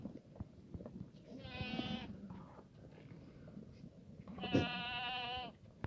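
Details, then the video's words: Black goats in a Gimhae, South Korea farm yard on a sunny Sunday morning; two trembling, harmonic bleats about three seconds apart, the second louder and longer, with low rumbling yard noise beneath. "순이네흑염소. 일요일 아침 맑음 농장 염소 운동장."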